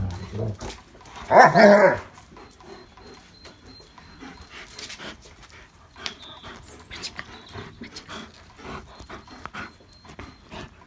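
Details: German Shepherds at play in the rain: a single sharp, high, wavering yelp near the start, followed by quieter panting, rustling and scattered splashy movement noises.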